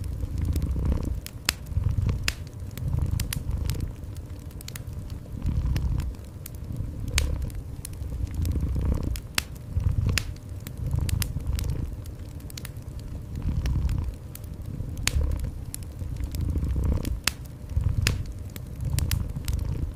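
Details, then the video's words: Steady deep purring from a cat in warm indoor ambience, pulsing in slow waves about every two seconds while the fireplace crackles and snaps throughout. "Cozy Fireplace with Gentle Cat Purring"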